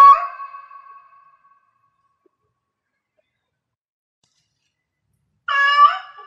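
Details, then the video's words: Cat in heat meowing: a loud harmonic wail at the start that fades over about a second and a half, then silence, then another strong, wavering yowl near the end. "Cat Meow Cat in Heats Sounds"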